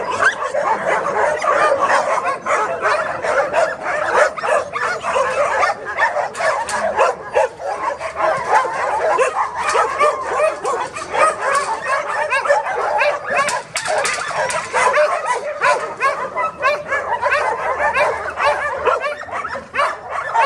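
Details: Many dogs barking together at the Bark Ark dog shelter, a dense, continuous wall of overlapping barks and yips with no pauses between them.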